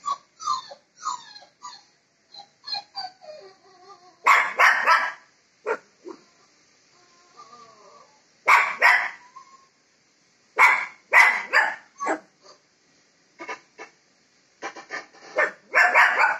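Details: Shih Tzu puppy squabbling with a Labrador puppy during a call, starting with a run of thin whimpers and yips, then bursts of loud rapid barks in clusters every few seconds, indoors.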